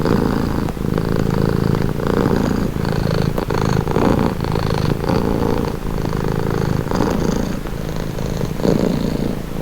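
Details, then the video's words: Relaxing purring from a house cat: continuous grainy low rumble pulsing with breathing, each cycle near one to one and a half seconds, close and steady without background noise. "Purring cat | Calming Relaxing Nature Sound"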